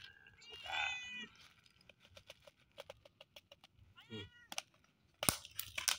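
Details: Hungry, pregnant stray cat being fed in the morning among the many stray cats at an office. Two drawn-out, wavering meows, one early and one near the middle, with scattered crunchy clicks of feeding between them and a sharp thump at the end.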